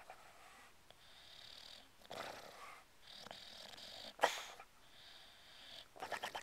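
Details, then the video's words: A male English Bulldog in deep sleep snores in rhythmic, wheezy breaths about two seconds apart, also holding his breath, twitching and blubbering loudly enough to wake himself briefly. "English Bulldog snoring, holding his breath and blubbering"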